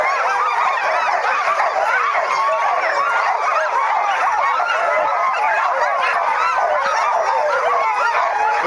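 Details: Sled dogs impatient to get going on a 2010 sledding trip, a crowded chorus of high, overlapping yelps and barks with no pause, honk-like cries mixed in, a man speaking briefly.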